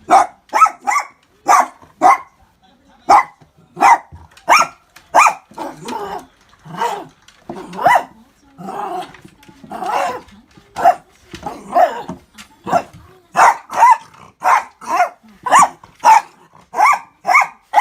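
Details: Miniature Dachshund barking at an orange juice cup from a burger shop, seemingly curious about it; sharp, loud barks repeated in rapid bursts, roughly two to three per second with brief pauses, some growl-like notes in between, indoors.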